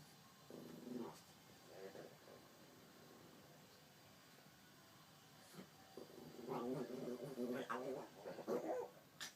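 A pug puppy makes odd, nasal grunting and whining sounds in short, uneven bursts.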